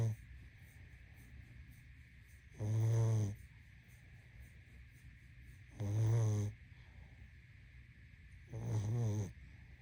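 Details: Pug asleep, giving deep rattling snores that recur about every three seconds, three in all, each a short low rasp, with a quiet constant hum behind.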